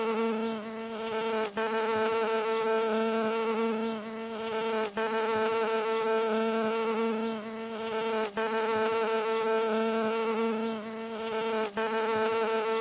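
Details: A steady, low, droning buzz of a bee landing, in the mid-frequency range of about 0.5–4 kHz and rich in overtones, with brief breaks every few seconds.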